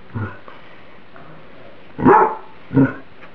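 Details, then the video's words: Pet dog barking at her bowl of microwaved spaghetti that is too hot: a faint short bark, then two loud, harsh barks about a second apart after a pause, with quiet room noise between. "My Dog Emily Barking"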